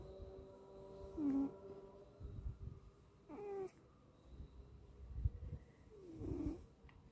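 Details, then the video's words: Sleeping cat snoring deeply: low rumbling breaths come roughly every three seconds, each ending in a short whistling, squeaky nasal note, over faint steady background tones in a quiet room. "Segitu nya suga tidur sampe ngorok"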